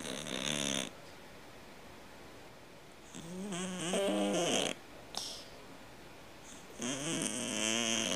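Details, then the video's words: Cat snoring, likened to a snoring man: loud, rough, buzzy breaths with stacked ridged tones, separated by quieter gaps and repeating roughly every three to four seconds indoors. "Кот храпит как мужик"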